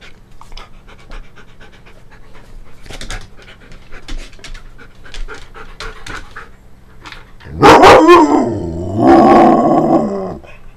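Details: Siberian Husky at play, filmed 5 November 2011 in the early afternoon: soft rapid panting and rustles, then around eight seconds two loud drawn-out wavering howl-like vocal outbursts.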